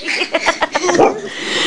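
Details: Boxer–Labrador mix dog prompted by its owner to say "mama", answering with a run of short, voice-like yowling syllables that end in a drawn-out, wavering moan.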